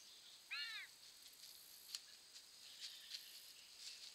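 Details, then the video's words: A young bobcat crossing a bridge, caught on a trail camera, gives a single high, arched mew that rises and falls over faint background noise. "Bobcat baby making calls crossing bridge"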